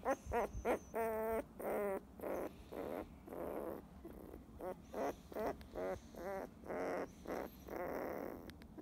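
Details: Sun-basking field-type Labrador Retriever puppy, fifteen days old, dozing off under gentle petting, gives irregular tonal whines and squeaks, some drawn out for half a second, others clipped short, separated by quiet gaps.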